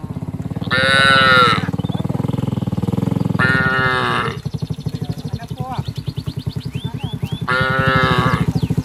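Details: Village cattle heading down to the rice paddies, calling their friends: three loud, resonant moos spaced a few seconds apart over a continuous rapid low pulsing like a motor, with scattered bird chirps.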